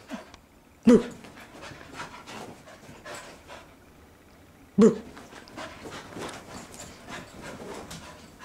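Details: Playing Soft-coated Wheaten Terrier lets out two strong barks about four seconds apart, separated by steady panting and rustling, as a person teases him with "Boo!"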